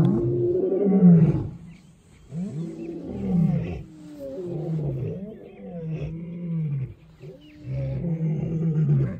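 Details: Lion in South Africa, deep moaning roars followed by a series of shorter grunting calls that fall in pitch, repeated roughly every second, loud and close with a quiet background.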